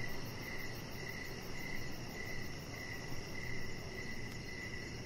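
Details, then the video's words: Crickets heard outdoors in the evening by a deck with decoration lights and a resting chihuahua puppy. Softer, high, even chirps pulse under a heavier low rumbling noise bed. "Chihuahua Puppy Laying On Deck with Cricket Sounds"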